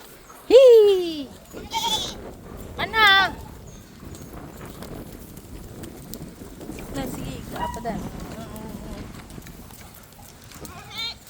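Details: Pet goats bleat three times in quick succession. The first call is a strong, quavering cry that falls in pitch, and the next two are shorter and higher. Fainter bleats follow later over a low, steady background hum.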